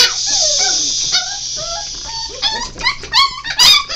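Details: Five-week-old Golden Retriever / Alaskan Malamute mix puppies whimper and yip in high, sliding whines that overlap one another.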